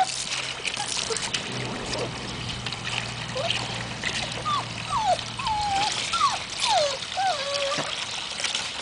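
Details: Young Magyar Vizsla puppies meeting water for the first time, 2012: a run of thin, falling whines and brief squeals, several overlapping, set against constant pouring, trickling water and a low hum.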